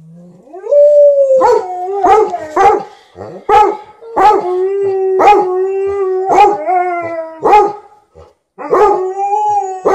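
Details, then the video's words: A 13-year-old Golden Retriever noisily asks for more petting while a Malamute objects; a rising whine opens into a long howling bout broken by about ten sharp barks, a brief pause, then more howling. "13-yo Golden Retriever vocally demands more petting"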